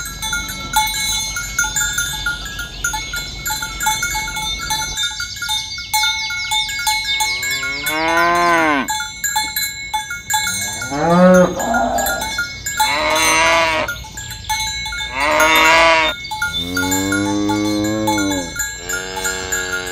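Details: Herd of tame cows driven in the morning along village roads toward the pen; cowbells jingle alone at first, then several overlapping moos follow, some arching upward, one short and low, others long and wavering.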